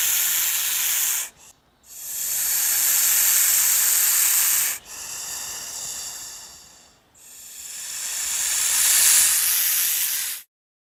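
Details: Attacking snake giving loud, breathy hisses, three long bursts of rough airy noise separated by brief pauses, each swelling and fading, with nothing else audible.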